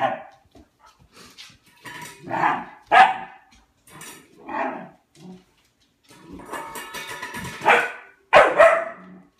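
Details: Dog barking at his food bowl for food, indoors: repeated hoarse barks, some in pairs, over a background of music.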